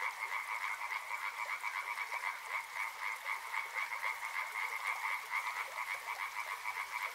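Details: Frogs calling beside a river: a dense, steady chorus of rapid pulsed croaks, packed rattling trills at two overlapping pitches that pulse several times per second without pause, with a faint hiss of flowing water behind.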